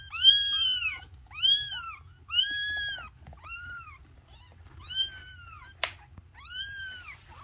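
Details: Young Maine Coon kittens meowing: six high, arched meows in two runs, roughly one every three-quarters of a second with a pause between runs, plus a brief click, over a faint low hum.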